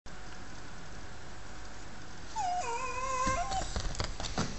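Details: Jack Russell Terrier indoors, whining to be taken for a walk: after a quiet stretch of low room hum comes a drawn-out tonal whine, wavering and rising then falling over about a second, with faint rustling around it.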